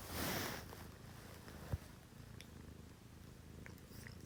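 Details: Domestic cat purring at six in the morning in a home shared with two female cats, a Scottish Fold and a Munchkin; a steady low rumbling purr follows a brief rustle at the start, with a single soft tap partway through.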